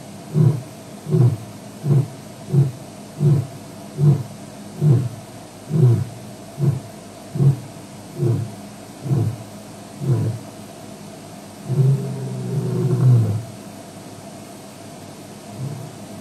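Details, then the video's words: Male lion at Djuma, WildEarth evening live stream, 09/05/07: a long run of about fifteen short, deep grunts repeated roughly every 0.8 seconds, then one longer, louder moaning roar near the end. "Male Lion"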